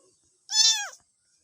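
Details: Domestic cat giving a single short meow, about half a second long, with a bright, falling, slightly arched tone and strong harmonics, in otherwise quiet surroundings.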